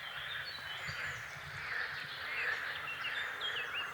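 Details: Frogs croak in a dense, continuous spring chorus, a steady rattling wash of sound, with a few thin bird chirps and whistles on top, at an Oder River oxbow lake in a Lubuskie forest, Poland.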